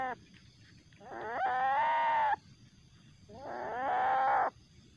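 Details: A young common palm civet (Paradoxurus hermaphroditus), very aggressive at night after capture and later released, gives two harsh, drawn-out screeching growls, each rising then holding steady: an angry threat call.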